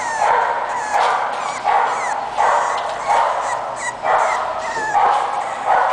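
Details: English bulldog puppy giving a steady run of short, hoarse yelps roughly every three-quarters of a second, with thin rising squeaks between them and a constant background hiss.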